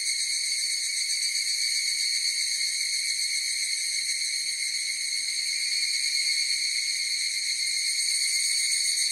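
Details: Continuous high, sizzling chorus of higurashi cicadas, fast even pulsation and constant pitch throughout, clean with no other noises.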